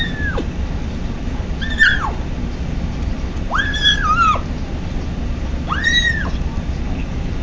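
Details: ['Male kitten Patches on his first day in a new home, making odd noises while eating: three high, arching mewed cries about two seconds apart, each rising then dropping, over a steady low background hum.']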